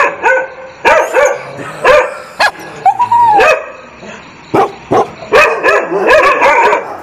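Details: Dog barking in scattered loud barks, interrupted by a drawn-out rising-and-falling whine, then a closing run of quick, tightly spaced barks.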